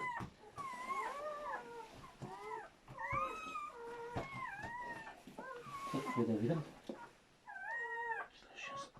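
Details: Freshly born German Shepherd puppies, seven in the litter, squeal and whimper with bent, quavering cries in quick runs, while a person speaks softly in the background and handling noises come and go.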